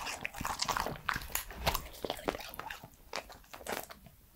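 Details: A 3-year-old male Pembroke Welsh Corgi chews and crunches food, such as fruit or his dog food, in close, wet, irregular bites.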